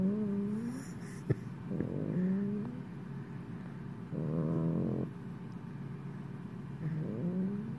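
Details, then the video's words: A sleeping Italian greyhound snoring: nasal, whistling breaths that rise in pitch, alternating with a buzzier rattling snore about a second long, in a quiet indoor room. "Italian greyhound snoring"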